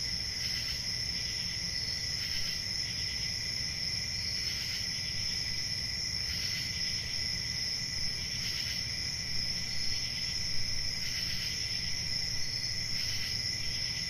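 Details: Night crickets in summer, a dense constant high trilling band with brighter bursts recurring every two seconds or so, over a light low-frequency rumble.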